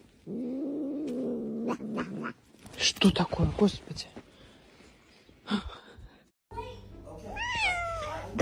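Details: Domestic cat in a funny-pets compilation: a steady, low, wavering yowl lasting about two seconds, then a jumble of human voices and clatter, ending with a bright meow that rises and falls.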